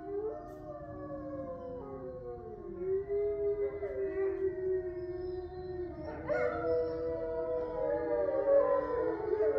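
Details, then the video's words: Captive grey wolves, eight residents of a sanctuary in Ipswich, Massachusetts, howling together at night under a full moon on November 27, 2023; several long overlapping tonal howls at different pitches, sliding and wavering, layered into a sustained chorus. "A Chorus Of Wolves Howling"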